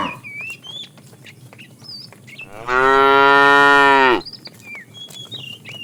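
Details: Tame herd moved along in the afternoon, a fat cow calling the female: a single steady moo of about one and a half seconds, surrounded by light bird chirping.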